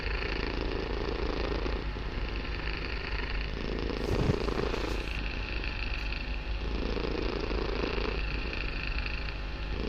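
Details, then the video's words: Loud purring from Barsik the kitten indoors; deep rumbling purr pulsing with each breath, roughly every two to three seconds, with faint rustling in the middle. "Мурлыканье котенка.Барсик очень громко мурлыкает"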